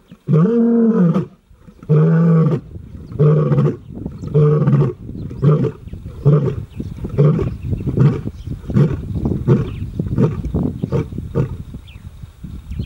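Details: Lion in Kgalagadi National Park near Urikaruus, February 2022, roars: several long, deep moans, then a run of shorter grunts that quicken and fade.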